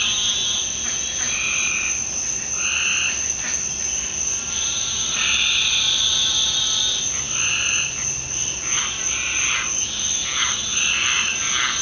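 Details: Many frogs calling together at night in a backyard in the Deep South following a rainstorm; loud overlapping croaks and trills in irregular bursts over a continuous high-pitched ringing drone.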